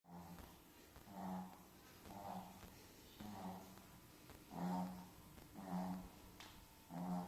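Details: Pet Chihuahua asleep indoors, snoring steadily: soft low rasping snores roughly once a second, each a rounded burst of breathy sound, in a quiet small room.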